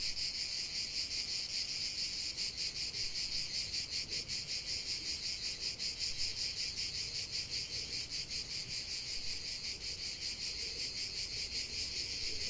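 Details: Cicadas in full song outdoors, a shrill buzzing chorus pulsing in a fast, regular beat of roughly two and a half throbs per second, with two faint clicks.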